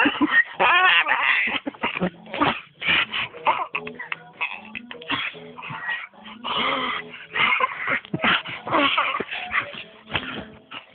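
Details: A pet dog whimpers and yips in rapid, uneven bursts of high, strained cries, closely packed and varying in pitch throughout.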